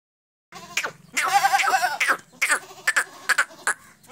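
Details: Barbari goat from Etawah, Uttar Pradesh, giving a long, wavering, quavering bleat with rich harmonics, followed by shorter broken bleats and clicks; human voices briefly audible.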